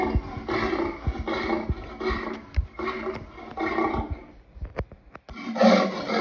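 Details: Lion voicing a run of raspy, rhythmic roaring bursts, six pulses in quick succession, then a short pause with sharp knocks before a final loud burst.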